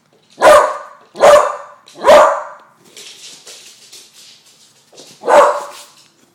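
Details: A 10-month-old beagle named Bailey, scared of balloons, gives three quick sharp barks in a row, then a pause of low rustling before one more loud bark.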